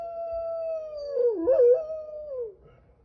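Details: Golden Retriever named Retsu, 1 year 5 months old, 42 kg, from Sapporo, Hokkaido, who only recently learned to howl: a sustained mid-pitched tonal howl that wavers and briefly dips in the middle, then resumes and fades after about two and a half seconds.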